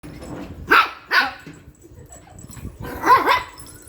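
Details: Shih Tzu barking while playing: two sharp barks near the start and a double bark near the end, with a man's voice in the background.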